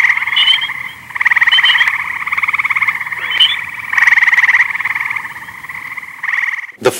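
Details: Gray treefrogs in Northern Virginia in summer, calling from treetops and often mistaken for a bird: loud, musical trills, each a rapid string of pulses lasting about a second.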